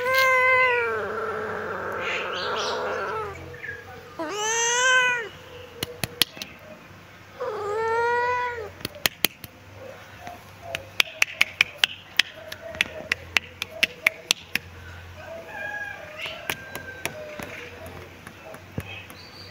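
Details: ['Kitten meowing while sunbathing in its favourite spot: three loud, drawn-out harmonic meows, the first long and wavering, the others arching and falling, followed by sharp clicking sounds and faint softer mews.']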